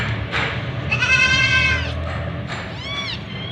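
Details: White Persian kitten in the shower. Two clear, harmonic meows: a long, wavering, plaintive one, then a shorter arched one. Both sound over a continuous hiss of running water.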